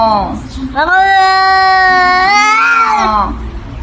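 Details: Cat giving a long, drawn-out, strained meow that holds steady and then rises slightly before fading, with a person's voice at the start.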